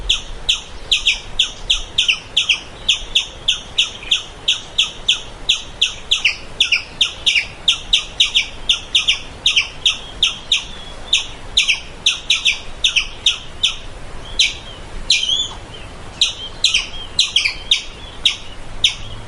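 A squirrel gives a fast, steady run of sharp, high, bird-like chirps.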